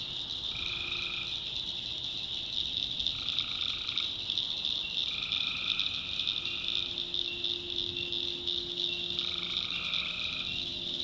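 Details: Tree frogs at night in the backwoods of North Carolina: four drawn-out, buzzy, harmonic calls about a second long, spaced two to four seconds apart, over a steady high-pitched chorus of frogs and insects.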